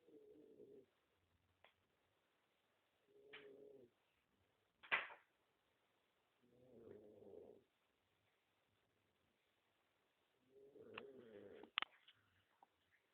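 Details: Jake, a pet dog, snoring in steady rhythm: low buzzy inhalations lasting about a second recur every three to four seconds, separated by sharp clicks and one loud snort-like burst in between.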